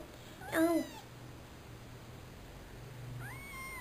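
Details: Female pet cat giving one short, loud meow that rises then falls, followed about two and a half seconds later by a fainter, upward-sliding mew, over a low steady hum.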